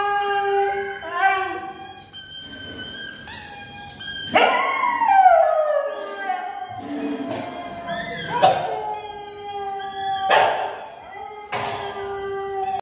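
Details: Odd-eyed Siberian Husky howling: long drawn tonal howls, several sweeping down in pitch and rich in overtones, rising and falling over about thirteen seconds, with steady sustained tones running alongside.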